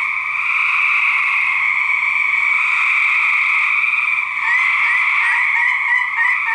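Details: Gray treefrog males fighting in 2010: an unbroken, buzzy trill chorus holding steady throughout, with short rapid pulsed notes standing out over the drone in the final two seconds.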